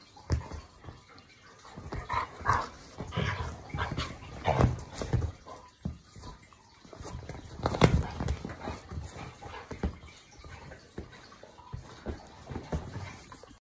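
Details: Two household dogs, a Labrador Retriever and an English show Cocker Spaniel, wrestle playfully on their sofa bed in the morning. Repeated short grumbling growls and sharp huffs mix with constant thumping and rustling of the scuffle.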